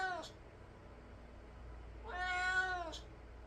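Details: Domestic cat indoors, reacting after hearing stray cats fighting outside: a short meow, then a longer, drawn-out falling meow a couple of seconds later, over a low steady hum.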